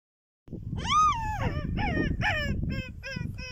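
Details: Wild dog in the desert of Chad giving a run of high, whining yelps: a long arched cry first, then shorter strained calls, each sliding up and down, coming quickly over a low rumbling background.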